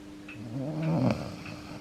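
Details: Snoring from Yuki, an ageing pet Akita that gets noisy as soon as he falls asleep with his head on his owner's foot; a single rough, rumbling inhaled snore builds then stops abruptly, over a faint constant background hum and soft clicks.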